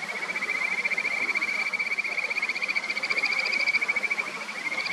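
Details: Several Kajika frogs in a clear mountain stream on the upper Natori River, Sendai, Japan, in a song battle: overlapping high whistled trills pulsing continuously, one caller joining near the end, with constant murmuring stream water behind.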